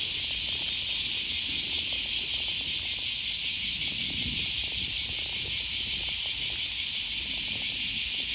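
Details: Cicadas on an August morning riverside walk in Osaka, Japan: a strong high buzzing drone throbbing in quick regular pulses, about two or three each second, fading to a steadier hiss, with a soft low rumble.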